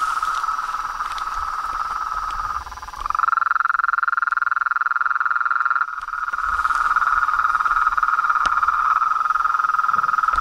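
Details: A mass of frogs, toads and tree frogs trilling steadily at mid pitch; the sound briefly dips, then a clearer, purer note comes through before the full pulsing chorus returns.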